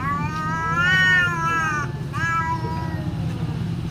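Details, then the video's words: Fighting domestic cat, described as very fierce, producing a long level moaning yowl followed by a shorter second yowl, with a steady low background drone. "SUARA KUCING BERANTEM GALAK BANGET"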